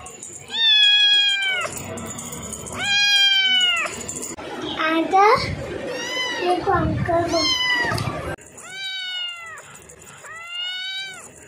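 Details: Cute cats meowing: loud, drawn-out harmonic meows with a slight downward bend open and close the recording, while a busier stretch of overlapping calls or voices fills the middle.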